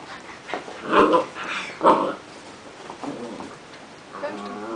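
A Hungarian vizsla gives two short, strained barks, with a person's voice heard afterwards.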